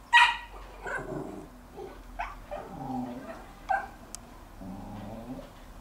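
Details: In a garden, a Jack Russell Terrier tries every trick to get a bone from his older brother, who has it. He gives a sharp yip, then a string of whining, grumbling moans.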